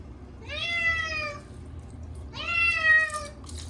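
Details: Chacha, a short-legged Munchkin cat getting his once-a-year bath on a hot day, lets out two long, strained meows in quick succession, each about a second long, over faint running water.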